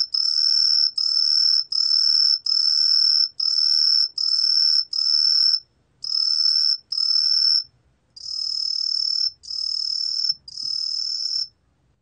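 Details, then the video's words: Shrill, whistled green tree cricket song given in bursts of roughly a second, separated by short pauses, with a longer silence near the middle and softer, duller bursts toward the end. "청솔귀뚜라미, 여러번 듣기, 곤충소리"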